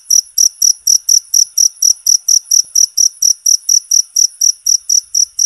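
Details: A cricket calls loudly and constantly, high sharp chirps pulsing about four times a second in an even rhythm, offered as a training sound for songbirds; nothing else is heard.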